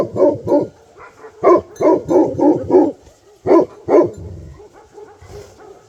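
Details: Bhote Kukur, a Nepali dog breed, in Nepal barking in short loud bursts, groups of two then a rapid run of five, then two more, deep harmonic barks with low murmuring between them.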